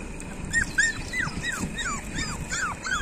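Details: Street dog puppies outdoors give a run of high, thin whimpers, each a short falling whine repeated about twice a second, with faint background hiss.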